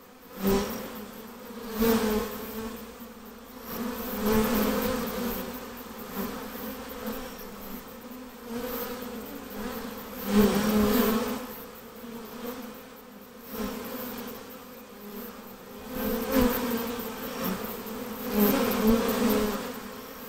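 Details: Drone of a hived honey bee swarm, a low, humming buzz with overtones that surges and ebbs repeatedly, loud peaks every couple of seconds and scattered clicks from handling.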